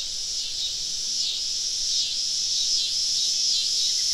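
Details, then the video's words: A dense high-pitched drone from many cicadas in the woods on a southern summer evening while camping, pulsing softly several times a second and building slightly in volume. "Southern Evening Summer Cicada Symphony"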